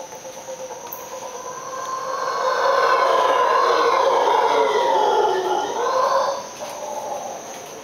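Howler monkeys give a long, drawn-out roaring howl that swells in the middle and fades away.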